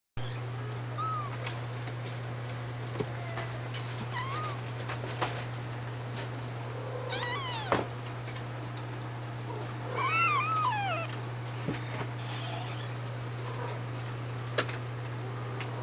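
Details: Two-week-old fawn Abyssinian kitten, born 18 June 2010, giving thin, high mews that rise and fall, spaced a few seconds apart, some in quick pairs, over a steady low electrical hum and a constant high whine.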